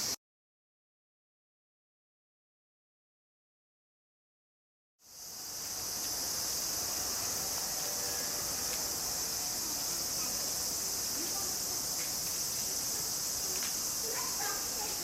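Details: Summer cicada chorus in the Tokyo suburbs, Japan, August 2011: after five seconds of silence a steady, shrill high buzz swells in and holds, over a low background rumble.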